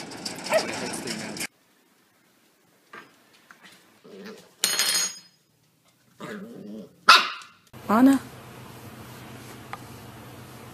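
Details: Welsh Corgi in a compilation of short cuts: a few sharp barks near the end, between bursts of people talking and brief gaps of silence, with a steady low hum in the final seconds.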